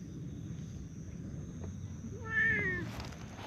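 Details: A stray tortoiseshell or brown tabby cat in a park meows while demanding to be petted. It gives one clear, slightly falling meow lasting under a second, set against steady outdoor background hum.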